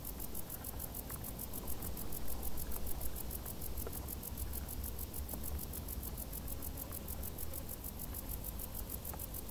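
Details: High, rapid, even pulses from crickets hidden in tall summer grass keep up a constant shrill chirping, quiet against a low wash of background noise.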